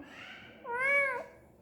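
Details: Indoor pet cat Rowdy Rakkamma, tail wagging while being talked to during a power cut, lets out a single clear half-second meow, smooth and gently arched, in a quiet room.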